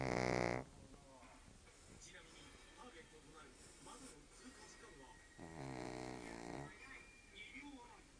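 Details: Shih Tzu named Monjiro, sleeping sprawled out boldly, giving loud harmonic snoring breaths at the start and again around five to seven seconds, with quieter rasping breathing and faint speech in between.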